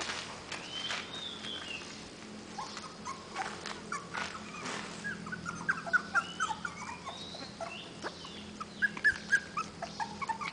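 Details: Puppies that follow people around, producing faint high whimpers and yips, short squeaky notes scattered quickly through the clip, over a low background hum and rustling.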